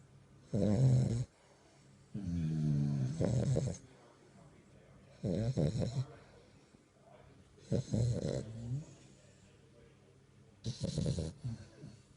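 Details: A male French Bulldog puppy snores in the dark in low, rattling breaths, one roughly every two to three seconds.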